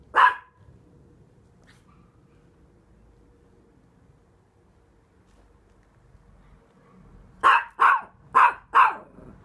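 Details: Barney, a rescue Chihuahua, gives one sharp high bark, falls quiet for about seven seconds over faint low background hum, then fires off a quick run of four yappy barks close together.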